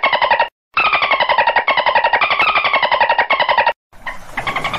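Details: Dolphin burst-pulse calls, harsh and rapidly ticking, with harmonic tones falling slowly; a nearly continuous stretch follows a brief silence, then a short gap and quieter, noisier pulsing at the end.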